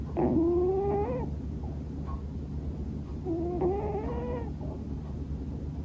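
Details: Male Scottish Fold named Bono, born January 2020, snoring heavily in his sleep, the sound seeming like sleep-talking. Two squeaky, voiced breaths about three seconds apart, each a rising hum about a second long. Soft room hum behind.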